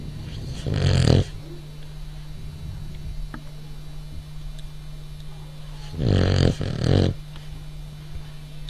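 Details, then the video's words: French Bulldog snoring indoors: two deep, rumbling snore breaths about five seconds apart, the second one doubled, over a steady low electrical hum. "Bulldog of the French,so Cute,Snoring"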